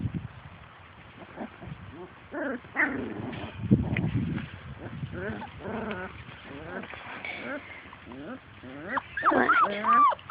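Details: Playing outdoors, Labrador Retriever puppies of Grace and Sam's litter chase their mother, giving rapid irregular yips, whimpers and small barks, about two per second, overlapping one another, with a human voice now and then.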